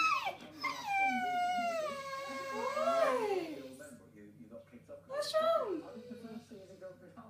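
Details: A female English Bull Terrier whines in long, wavering, rising-and-falling tones, a frequent habit when she wants food or attention; the owner thinks she is hungry.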